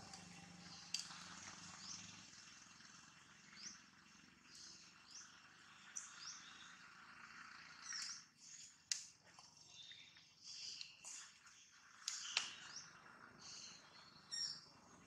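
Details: Jane, a monkey in a terrible mood and appearing scared with a camera around, gives a run of short, high, squeaky chirps at irregular intervals, broken by a few sharp clicks and knocks.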